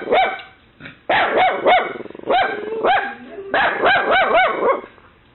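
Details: Mini Dachshund puppy barks shrilly after a knocking noise, guarding against an imagined intruder while a Boxer listens; quick high yaps in tight clusters, with a lower drawn-out grumble between bursts.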